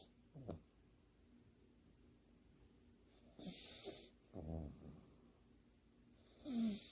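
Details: Leo, a French Bulldog, sleeping belly-up with front paws held together, seemingly half-awake with eyes open; throaty rattling snores and a few hissing breaths over seven seconds, quiet gaps between.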